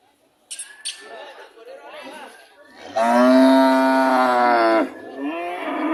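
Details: A cow's moo: soft scattered sounds and brief squeaks at first, then one loud, steady harmonic moo lasting about two seconds, followed by a quieter call.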